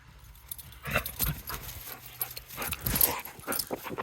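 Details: Luna, a pet dog, lets out a series of sharp, broadband barks and yips in quick irregular bursts after a quiet start, with rustling and a faint jangle in between.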